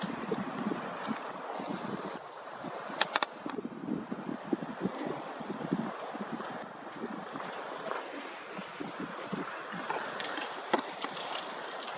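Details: Steady wind and rushing outdoor noise with a few clicks and knocks in Waterton Canyon, Colorado, in November 2023, and no animal voices heard.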